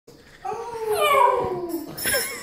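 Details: Norfolk Terrier howling indoors: a drawn-out, wavering, slightly falling whine-like howl rising from quiet, with a second brief higher cry near the end.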